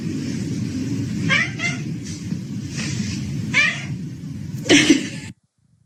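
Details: Domestic cat giving a few short, falling meows over a steady low rumble, with a louder, sharper cry near the end before the sound cuts off abruptly.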